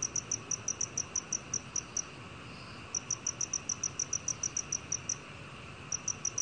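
Black cricket giving clear, high, evenly spaced chirps in runs of about two seconds.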